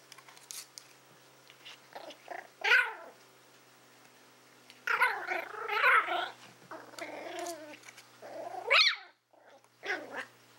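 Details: Willow, a Toy Fox Terrier born in April 2012, growling while she works out what to do with a pig's ear. Several rough, wavering growl bursts, some ending in sharper squeaky notes, between soft chewing and rustling sounds.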